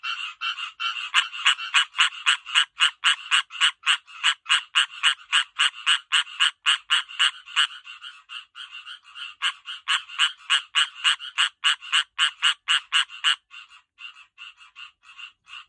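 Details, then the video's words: Tree frogs call as they get ready to breed, giving loud, rapid, rasping pulses at about three or four each second in long runs. "Tree frog calling and loads more calling beware loud noises 🐸💚🐸"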